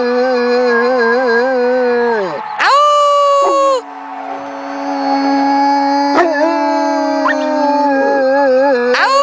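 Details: A pair of Newfoundland dogs howl along with an anthem, with drawn-out wavering tones from two voices, a sudden high upward break into a piercing note, then a low steady held howl with another high yelp near the close.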